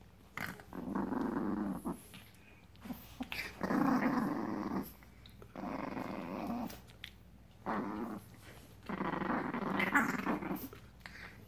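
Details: Seven-week-old Frenchton puppies (87.5% French Bulldog, 12.5% Boston Terrier) growl in rough, throaty bursts, each lasting about a second.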